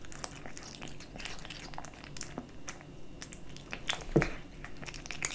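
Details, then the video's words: A kitten feeding on dry and wet cat food, with soft wet chewing and small crunches at an uneven pace, then one louder bite near the end. "Kitten eating Dry & Wet cat food ASMR"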